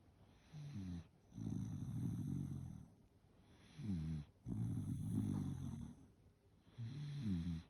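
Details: Bu-chan, a Shiba Inu dog, snoring while asleep: low, rumbling breaths with a rattling buzz, in three long snores separated by quiet pauses.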